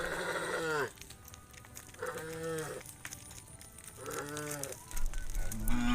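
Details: Tame cows, hundreds strong, walking back to the farm pen in the evening; three separate moos about two seconds apart, each brief with a slight falling tail, then a rising call at the end.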